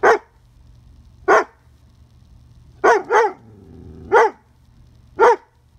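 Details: A young female Dobermann puppy barks at a beetle on a fence. She gives sharp single barks at irregular intervals, with a quiet growl between.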